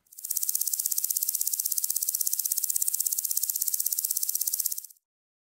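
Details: A grasshopper stridulates, a dry, continuous high-pitched buzzing rasp made of fast, even ticks that run steadily for about five seconds and end abruptly.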